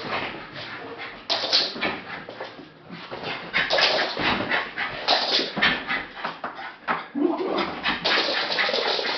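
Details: A female Jack Russell Terrier watches the postman leave the road, giving rapid, high-pitched yapping barks mixed with whining.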